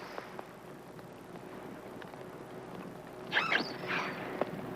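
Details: An isolated young female common dolphin calling at night, 4 miles from the ship, recorded by animal acoustics experts: brief, bright whistles that sweep up and down over a steady noisy hiss.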